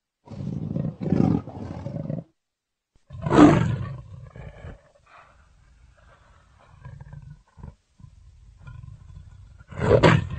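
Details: Leopard voicing a series of deep, rasping roars: a rough opening pair, a strong peak, trailing low grunts with pauses, then a final loud roar at the end.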